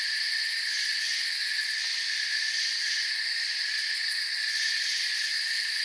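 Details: A continuous cricket chorus in a forest, shrill and shimmering, held at an even level with slight pulsing in the highest band and nothing else audible.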